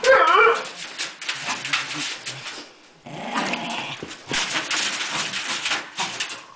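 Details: A dog growls in low, rough, drawn-out rumbles under heavy broadband scuffling and rustling noise. The sound drops away briefly near the middle, then the growling and noise pick up again until the end.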